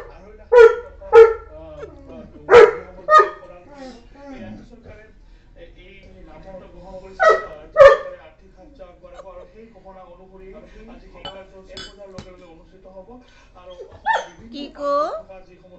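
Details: Saint Bernard at home, competing for attention with the morning news, gives loud, sharp barks in irregular pairs and singles with long quiet gaps, plus a whiny yelp near the end; a television newsreader's voice murmurs underneath.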